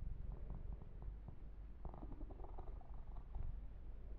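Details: Pet kitten Yumak purring under massage and fur grooming; a low, even rumble beneath scattered rustling strokes and light tapping of hands on fur.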